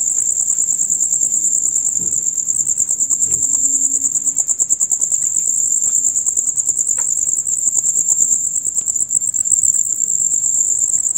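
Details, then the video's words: Male crickets chirping loudly and rapidly from dusk to dawn; a constant high, pulsing trill fills the recording, joined by a few faint clicks and low background sounds. "Crickets on Concert"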